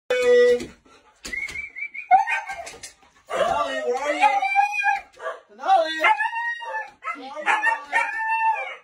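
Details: Indoor Siberian Husky, just back from a 30-minute walk, vocalizes in bursts: short yips, then wavering howls and whimpering talk-like wails that rise and fall, separated by brief silences. A person speaks and music plays in the background.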